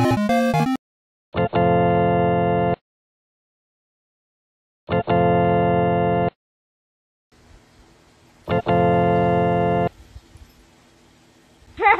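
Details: Sustained organ chords sound in three separate bursts with silent gaps between them and a faint hiss late on, and there is no animal sound.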